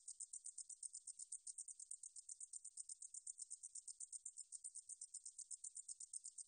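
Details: Katydid (등줄어리쌕쌔기), from a 2020 Korean National Institute of Biological Resources recording: a long, regular run of shrill ticking buzzes, about eight per second, steady in loudness, with nothing else audible.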